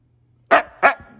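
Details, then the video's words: Siberian Husky, Moon or Shadow, talking back in a playful household argument; two sharp, short barks about a third of a second apart, with faint low hum beneath. "Funny Arguing Husky Videos! Dog Talks Back So Funny!"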